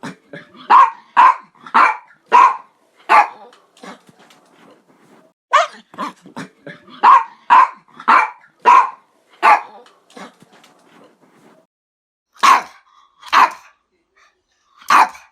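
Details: Dog barking in bursts of two to five sharp, clipped barks separated by short pauses, with a few softer, fainter barks between the loud ones.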